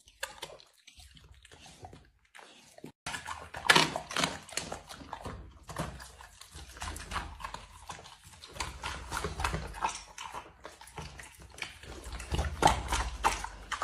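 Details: Dog eating food indoors, with wet, smacking chewing and crunching bites in irregular bursts, a short quiet gap near the start, then steady busy mouth noises.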